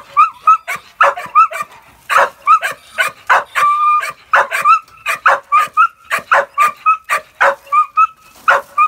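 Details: A working-line Bull Terrier puppy with a rat barks in quick, sharp, high ringing yaps, coming in an excited, irregular stream with barely a pause, with a few drawn-out whining notes in between.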